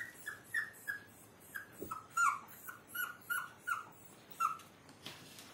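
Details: A Maltese puppy gives a run of soft, high, thin whimpers. Each is a brief downward-sliding squeak, repeated roughly every third of a second, with quiet room background.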